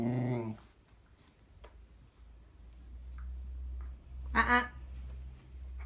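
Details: Whippet puppy indoors, disgruntled at being told not to chew: a short harmonic whine at the start, then quiet room hum and a brief higher yelp-like burst near the end.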